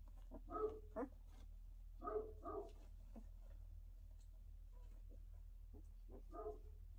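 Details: Pyrenean Mountain Dog puppy during its first steps, giving short harmonic yelps and whines in scattered bursts, about five over seven seconds, some in quick pairs, over a steady low hum with quiet soft knocks between.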